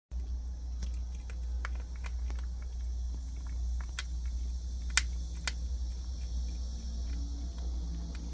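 A prairie dog crunches chickpeas, making sharp irregular clicks and cracks over a steady low hum.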